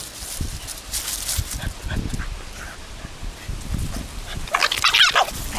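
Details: A Boston Terrier growls angrily while guarding a small stick it treats as a precious treasure. Low, rough rumbling pulses run throughout, then build to a louder, harsher snarling burst near the end.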